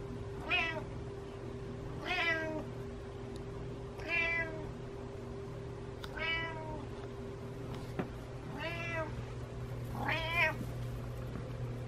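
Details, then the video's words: Butters, a pet cat following its owner around, meows six times in about twelve seconds, each call a drawn-out harmonic wail that rises and then falls, spaced roughly two seconds apart over a low indoor hum. "My Cat Follows Me Around Meowing"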